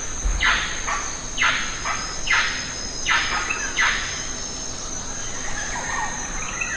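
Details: A lion-tailed macaque in the Western Ghats, where the macaques are feeding on jackfruit, gives five harsh, squealing calls, roughly one a second, over a steady high-pitched insect drone.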